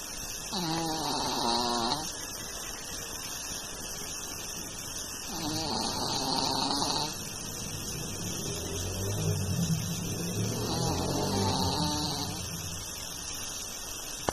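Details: Chao, a long-coat Chihuahua, snores in three drawn-out, wheezy, whistling breaths about five seconds apart, rising and falling in pitch over a steady background hiss.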